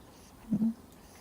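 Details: Two-month-old Miniature Schnauzer puppy, fast asleep and snoring: a brief, low, two-part snore lasting about a quarter second, with a tiny break in the middle, against quiet indoor background.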